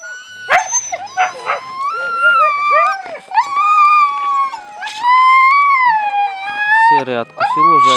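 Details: Siberian Husky puppies at feeding time: long, tuneful howling whines that rise and hold steady, broken by short yelps and squeaks, with a person speaking in between.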